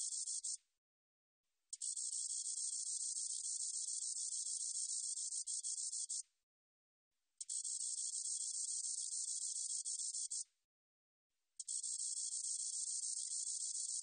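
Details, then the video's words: Spotted meadow katydid producing a steady, high, rasping hiss in four long bursts of about four to five seconds each, regularly spaced by roughly one-second pauses, nothing else audible. "점박이쌕쌔기, 여러번 듣기, 곤충소리"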